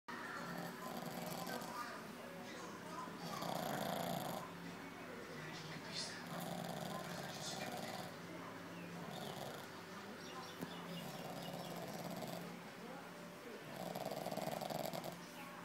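A drowsy Pekingese snorts and snores, each breath a raspy, wheezing rumble repeating roughly every two seconds. A low murmur of voices sits faintly in the background.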